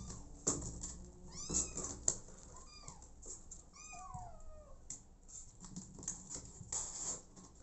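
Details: Abandoned kitten, later adopted by mother cat Smokey, giving several high, arching meows that rise and fall, some short and some drawn out, among soft indoor rustling and clicks.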